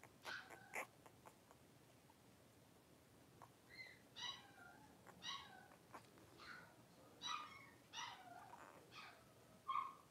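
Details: Five three-week-old blenheim Cavalier King Charles Spaniel puppies wrestling and playing in an indoor puppy pen. High thin squeaks and short whines come in scattered bursts, roughly one each second, over a quiet background.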